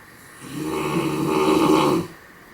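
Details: Raissa, a sleeping dog called the loudest-snoring dog in the world, lets out one drawn-out, rumbling snore of about one and a half seconds with a steady buzzing tone, then quiet.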